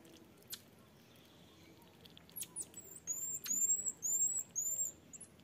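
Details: Baby marmoset asking its mother to suckle and being refused: a few faint ticks, then a run of thin, very high whistled notes, each slightly falling, repeated about every half second.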